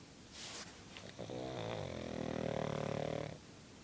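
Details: Sleeping female pug: a soft hissing breath in, then one drawn-out, buzzy, vibrating snore lasting about two seconds that swells louder toward its end in a small quiet room.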